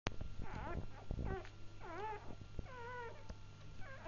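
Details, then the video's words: Newborn Labrador Retriever puppies just after birth, giving thin squeaky whines that rise and fall, several overlapping, with low thumps and a steady low hum indoors. "naissance bebe labrador"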